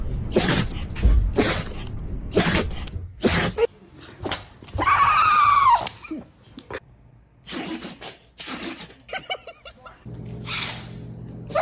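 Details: Dogs sneezing in a compilation of funny moments: short, sharp, noisy snorts come in rapid bursts, broken midway by a drawn-out whiny tonal sound, then more sneezes near the end with a low hum underneath.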